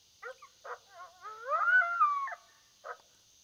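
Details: A coyote on a predator hunt gives choppy yips that slide into a wavering howl, rising then falling with several overtones, ending with one more short bark against a steady high hiss.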